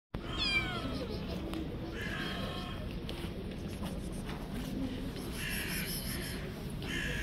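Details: Little stray street cat hugging a person and not wanting them to leave gives a brief, falling, high meow near the start, then fainter tonal sounds over steady low street noise.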